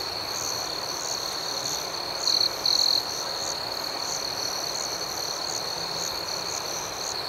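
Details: Continuous shrill night chorus of crickets with rhythmic higher pulses. Two brief louder chirps sound close together midway.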